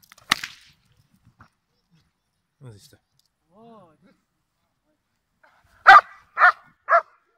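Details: Giant Schnauzer Blackmoore Salazar during training, July 2017. A single sharp bark, a quiet stretch with faint soft sounds, then a quick burst of three loud barks.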